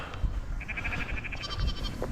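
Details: Lost lamb in the countryside calling while searching for its mother; one quavering, pulsed high bleat lasting about a second, partly buried under heavy wind rumble.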